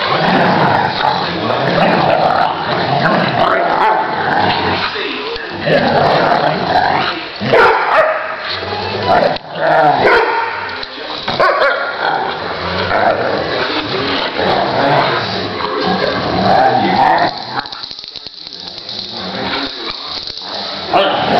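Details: Dog at a day care playing tug, giving continuous rough growling with short barky bursts throughout, loud and dense, with a brief quieter stretch near the end.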